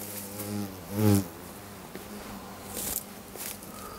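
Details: Japanese giant hornets emerging from stacked, long-abandoned tyres disturbed during grass mowing, Motomiya, Fukushima, Japan, 28 September 2017. A low droning buzz with layered harmonics swells sharply near one second as an insect passes close, then fades to a quieter hum.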